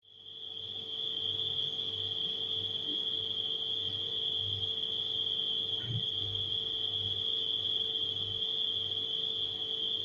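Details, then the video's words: Nighttime crickets blended with a refrigerator's steady hum: a continuous high, shrill trill holds at one even pitch throughout, over a low droning hum that pulses softly about once a second, fading in during the first second. "Crickets & Refrigerator Humming Sound"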